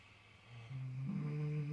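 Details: Miniature potbellied pig asleep in fresh straw, dreaming: a short, low, steady humming snore that swells in loudness and rises slightly in pitch over under two seconds.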